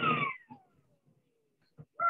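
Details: On a passive acoustic monitoring recording from the Pacific Arctic, a ribbon seal gives a long tonal sweep gliding from high to low over a second, a breeding-season call heard only when sea ice is present, among low knocks and thumps.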